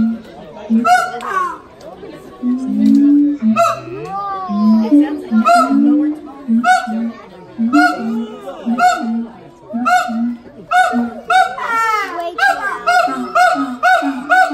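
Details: Siamangs at Los Angeles Zoo, captive, with a youngster playing nearby, give loud repeated hooting calls around the low-mid range, interleaved with rising whooping barks and shrieks that build in rapid series; strong harmonic, chorus-like.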